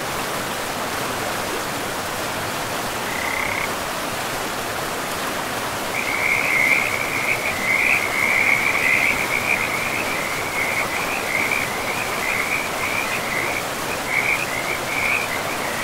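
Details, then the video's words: Frogs calling in a pristine forest beside a river, a rapid trill of pulsed croaks starting faintly near three seconds and building into a steady chorus from six seconds, over a constant broad rush of flowing water. "River and Frogs sleep sounds"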